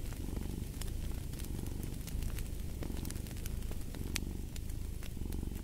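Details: Rumbling, buzzy cat purr that surges gently with each breath, layered under dense crackling and popping from a fireplace.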